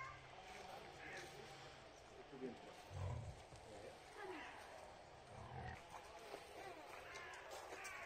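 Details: Wild boars with piglets, described as friendly; short low grunts around the third and fifth seconds, over a steady rustling background with faint higher murmurs.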